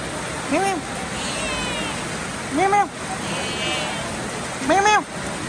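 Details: Cat meowing in the rain: three arched, nasal meows spaced about two seconds apart over a steady hiss of rainfall.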